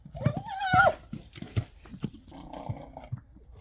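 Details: A Friesian horse, Rising Star, gives a short, wavering squealing call because another horse, the young rascal Spidey, is annoying him.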